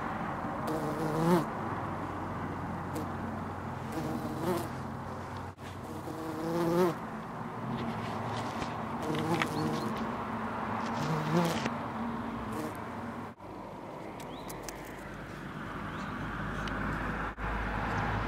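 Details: A white-tailed bumblebee (Bombus lucorum) in the United Kingdom hums with a low, steady, natural buzz that wavers slightly in pitch.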